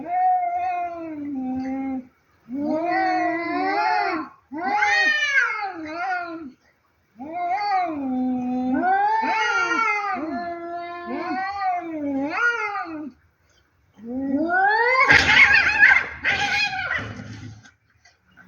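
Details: Two cats fighting: long, wavering, harmonic yowls that rise and fall in bursts of two to five seconds separated by brief silences, closing with a louder, harsher screeching outburst.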